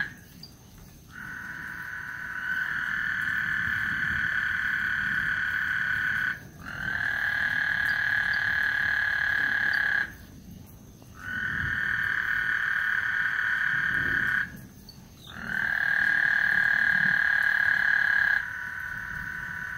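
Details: ['Frogs calling before a thunderstorm on Lake Houston: four long, steady, buzzy trills of about four seconds each, separated by short pauses, over a soft low rumble.']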